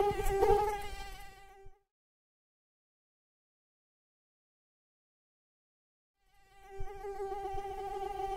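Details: Mosquito hum fading out after under two seconds, a long stretch of silence, then the thin steady whine with layered overtones swelling back in.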